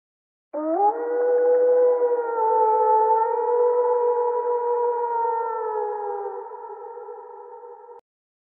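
Wolves join in a group howl, each voice a long, smooth, sustained tone. The howls sit at different pitches, some slowly rising or falling, blending into a layered, siren-like chorus.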